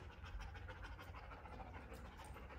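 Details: Rapid, steady panting from Ruby, a two-year-old Lab mix in obedience training around Atlanta, Georgia: short airy huffs follow one another closely in an even rhythm over a low background hum.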